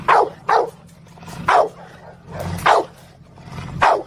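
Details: Pet dog play-fighting with its owner, barking in five sharp, loud bursts roughly once a second, each bark with a falling harmonic tail, over a low background hum.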